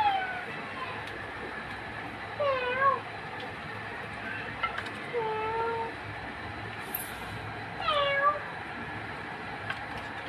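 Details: Cats in a funny compilation: a handful of wavering, bending meows every two to three seconds, one long flat cry near the middle, over constant background hiss and a brief high-pitched sound.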